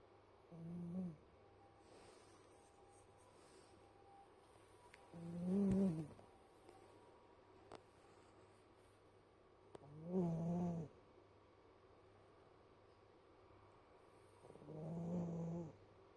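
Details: Domestic cat snoring in its sleep, low rumbling voiced breaths swelling and fading about every four to five seconds, four snores in a quiet room.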